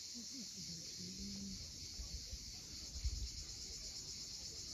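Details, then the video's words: Cicadas calling at sunset on the steep coast of Cape Fiolent, Crimea: a steady, unbroken high-pitched buzz over a low rumble of waves, with faint brief tonal notes lower down. "Cicadas at sunset"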